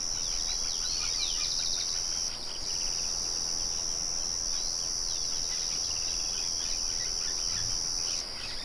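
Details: Crickets in a natural setting make a steady, high, shrill trill that drops out briefly near two seconds and again at the end. Scattered short bird chirps sound underneath, over the low murmur of a mill.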